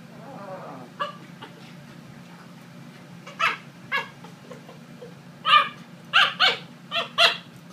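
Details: A 12-week-old Corgi puppy playfully attacking the owner's son. It gives scattered soft yips, then a run of five sharp, high barks in the final two seconds, spaced about half a second apart.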